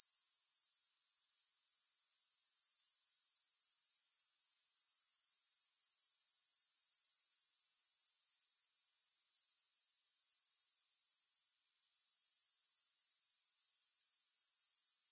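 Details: Grasshoppers making a continuous, very high-pitched shrill drone that pulses evenly about four times a second. It fades out briefly near the start and again near the end. No music or other sounds are present.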